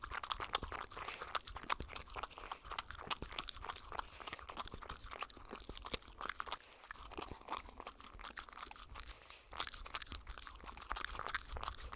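Loud, rapid crunching and chewing of dry food fills the recording, with no animal calls.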